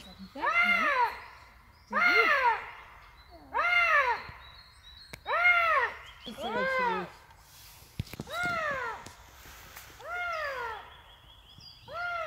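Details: Eurasian lynx giving a series of strained, mewing wails, each a curved harmonic note rising then dropping, repeated about every two seconds, over a steady background hum and a faint high tone.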